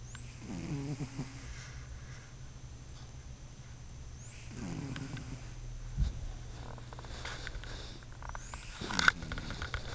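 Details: Sleeping pet cat snoring, with soft, raspy breaths rising and falling about every four seconds over a steady low background hum and a few faint clicks.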